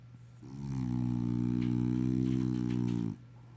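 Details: A small French Bulldog gives a big snore, a deep buzzing rasp that swells in and holds evenly for about two and a half seconds before cutting off sharply.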